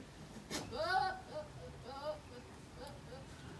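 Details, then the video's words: A male goat gives a loud quavering bleat, then several shorter, softer bleats trailing off over the next two seconds, heard in a quiet indoor setting. "A male’s goats are funny with this sounds"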